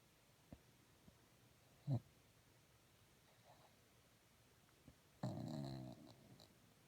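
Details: Moose, a pet dog, snoring in a quiet room: a faint low snort near two seconds, then one louder rasping, rumbling snore of under a second late in the clip, with near silence between.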